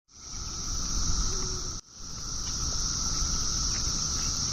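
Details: A cicada in a pear tree gives a steady, high, shrill buzz that runs on almost without pause.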